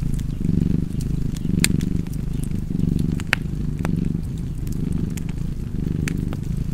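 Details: Low, continuous cat purr with uneven swells, less clearly rhythmic, beneath scattered snapping crackles of a fireplace.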